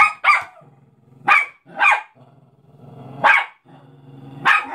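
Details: A Cairn Terrier attacking a Mickey Mouse balloon gives sharp, excited barks in irregular bursts, with low growling between them.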